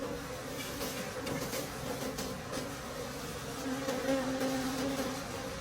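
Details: A crowd of wild bees hums at a forest honey harvest late in the season, the drone growing slightly louder toward the end, with soft rustles and taps.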